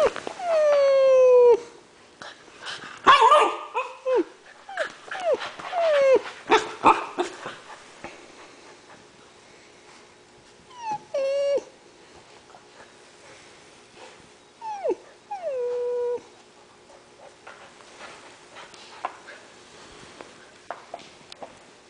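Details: Three 7-week-old male Alaskan Malamute puppies playing in a garage give high, sliding yips and whines in short bursts, with quieter gaps between.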